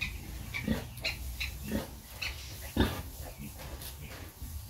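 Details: Sow nursing her piglets: short, low grunts repeated roughly once a second, with a rustling, noisy background.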